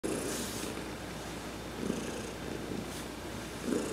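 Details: Heidi, an adopted cat, purring while being massaged during a sun bath on November 19, 2020; a low rumbling purr swells and fades in slow waves, with brief soft high brushing hisses over it.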